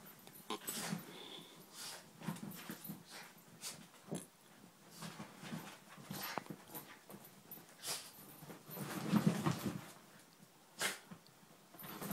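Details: Female Miniature Schnauzer named Dummy playing with a ball in the morning; short low grunting, growly bursts come in quick uneven runs, mixed with scuffling thumps and brief sharp knocks.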